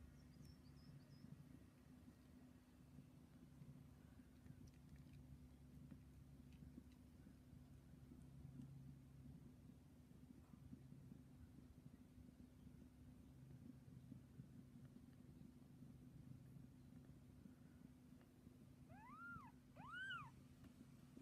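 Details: Bengal cat Silverstorm Snow Kisses with her three-day-old kittens; after a long stretch of steady low hum, two clear arched meows rise and fall in quick succession near the end.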